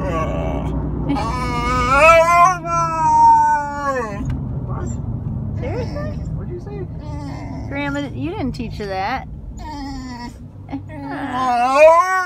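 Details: Funny noises from an Alaskan Malamute, wavering whining yowls that bend up and down in pitch, broken up with quieter gaps, with a low rumbling background.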